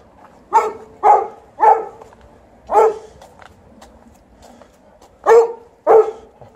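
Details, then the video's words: Golden Retriever complaining while outside as the snow is almost gone; loud, harsh repeated barks, three in quick succession, then one, then a final pair, against a quiet background. "As usual, Golden Retriever is complaining while outside"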